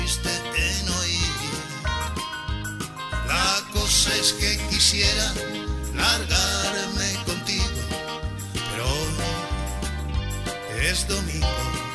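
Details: Upbeat instrumental music with a steady beat and bright melodic lines plays throughout, and no animal voice stands out.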